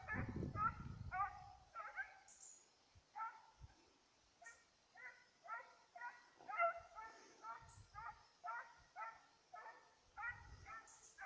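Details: Petit Basset Griffon Vendéen on a rabbit's trail, 5 October 2014, giving a long, steady run of ringing bays, close to two per second, after a burst of low handling noise; small high clicks appear now and then.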